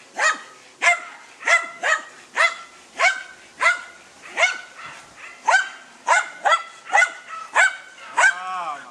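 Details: Deutscher Jagdterrier Dunja baying at a wild boar: a dense run of about fifteen high, sharp barks over nine seconds, ending in a drawn-out wavering yelp.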